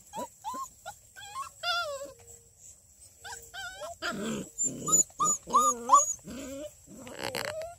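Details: Six-week-old female Redbone Coonhound puppies near Kingston, Ontario, Canada whine and yelp in high, wavering, overlapping cries.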